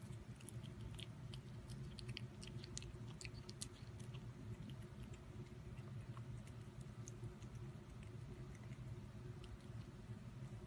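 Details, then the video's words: Cat eating food for lunch, with an unbroken run of soft, crunchy chewing dotted with crisp, high clicks, heard close up indoors. "CATS EATING FOOD"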